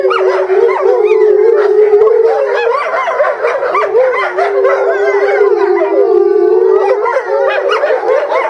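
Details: Captive Eastern timber wolves, a family group at Higashiyama Zoo in Japan, howling together in February 2012 while a female is separated for breeding season; steady low howl with busy wavering higher voices and a few yips overlaid.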